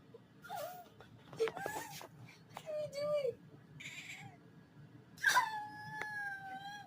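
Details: Kitten making cute little noises: several short high mewing cries, some rising then falling, with a soft sustained whine near the end; faint background hiss.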